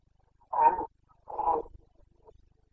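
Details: Boncănit of a Carpathian red deer stag in Bucovina, breeding season, late September 2022: a pair of hoarse, rough-edged roars in quick succession, each under half a second, followed by a brief faint call.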